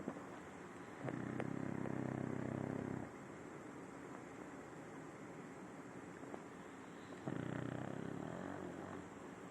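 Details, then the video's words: Adopted French Bulldog Simão, nine years old, snoring while asleep: two long, rough, low snores about six seconds apart, separated by soft breathing. "Bulldog francês roncando"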